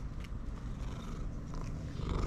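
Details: Pet cat, happy to see its owner, purring loudly: a continuous deep, pulsing rumble with rapid regular throbs, louder toward the end, close to the microphone indoors.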